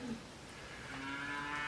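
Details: A hungry calf, kept away from its mother while she is milked at a farmhouse, gives a drawn-out, nasal moo that swells steadily louder toward the end.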